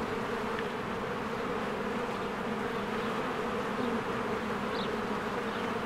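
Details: Honeybees swarming in and out of their hive in spring among blooming flowers: a dense, steady droning hum with bands around 200 and 500 in pitch, continuous throughout, faint high chirps of birds briefly overhead.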